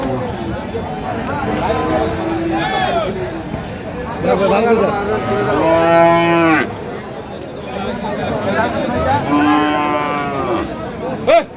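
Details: Cattle at the Aftabganj cattle market in Dinajpur, where Friesian and crossbred bull calves are on sale on 16 April 2025. Drawn-out, harmonic-rich moos with a falling tail are heard amid men bargaining over prices and general market chatter.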